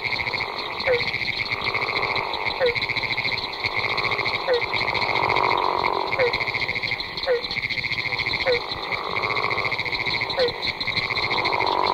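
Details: A large breeding chorus of Florida gopher frogs: drawn-out snoring calls rise and fall beneath a continuous high trill of pinewoods treefrogs. Barking treefrogs add short, hollow notes roughly every second.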